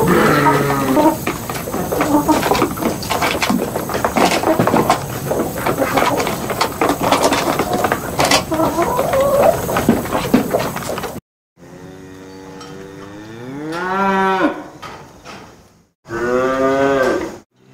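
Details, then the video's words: Cattle voice: eleven seconds of busy, clattering farmyard din, then after a pause a drawn-out harmonic moo that swells and rises in pitch, followed by a shorter second call. "牛の声 Cow voice"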